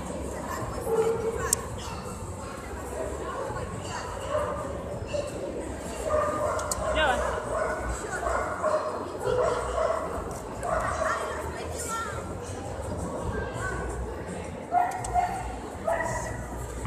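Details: West Highland White Terrier, an international and multi champion show dog, giving short barks and yips amid steady human talking and background room noise.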